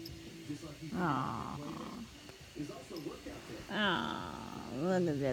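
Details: Logan, a male tabby kitten annoyed while sleepy and waking up, gives short squeaky meows with rising and falling pitch near the end, between a woman's soft cooing talk indoors.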